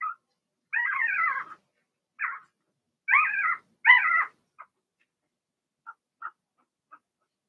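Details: Whimpering from young Blenheim Cavalier King Charles Spaniel puppies, a litter of six kept in a home puppy pen: drawn-out wavering whines in a cluster of four, followed by scattered faint short squeaks.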